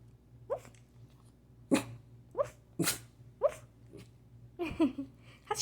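A dachshund lets out a string of abrupt, breathy sneezes broken up by quick, low woofs, each burst about half a second apart. A faint steady hum runs underneath.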